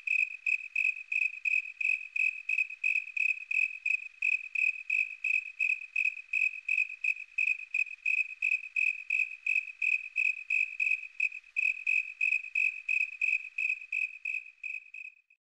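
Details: A snowy tree cricket (Oecanthus fultoni) gives its chirping call, a steady series of clear, high chirps, nearly three each second.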